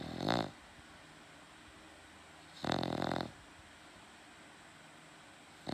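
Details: A pet dog snoring indoors at night, loud enough to keep its owner awake: two raspy, rattling snores about two and a half seconds apart over a low steady hum.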